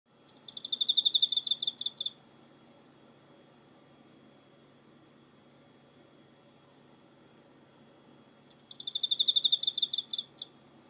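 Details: Cricket recorded on 24 November 2016: two bursts of rapid, high, ringing pulsed chirping, each lasting about a second and a half and spaced roughly seven seconds apart, over a faint low hum.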